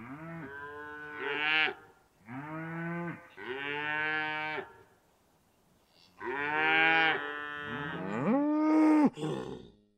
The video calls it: Cow Sound Effects (CLEAN)